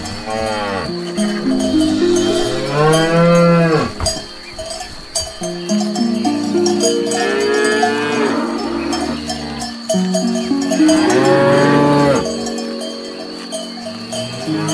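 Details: Cows out grazing, eating grass. Repeated bellowing moos of varying pitch follow each other, some sweeping upward then falling, while cowbells ring continuously in the background.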